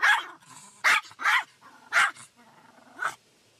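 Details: Shih Tzu dog upset by a car wash, giving sharp, loud barks in an uneven series, about five within under four seconds, with low growling between them in a quiet setting.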